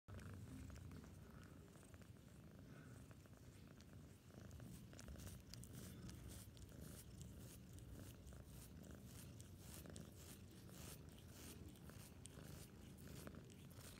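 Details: A 5-month-old male Maine Coon kitten, licking its owner, purrs in a low, steady, continuous rumble with faint rasping ticks over it.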